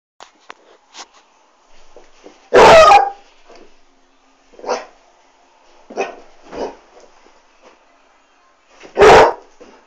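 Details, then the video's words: Basset Hound indoors barking at a Dyson vacuum cleaner: two loud, harsh single barks about six seconds apart, with softer short huffs and yips between them and a faint steady hum in the background. "basset hound vs dyson"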